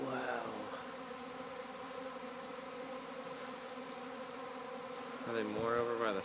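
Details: Swarming honey bees at a house in Arcata, moving toward a fig tree and landing; continuous droning hum of many wings, with a person's voice briefly at the start and again near the end.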